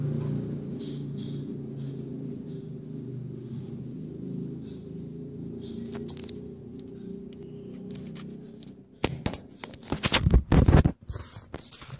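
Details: Steady low room hum fills the first nine seconds, then sharp clattering, tearing and knocking bursts follow, with no animal voice heard.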